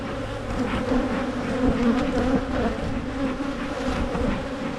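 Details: Continuous buzzing of many honey bees in a hive being split in Michigan, a swarm-prevention step; the drone swells and slightly wobbles in pitch, thick and unbroken throughout, with faint handling knocks.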